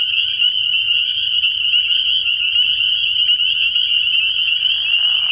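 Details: Spring peepers massed at a frog pond at night early in the year produce a steady, shrill, high peeping chorus, a lower buzzy rasp rising at the very end over a faint low hum.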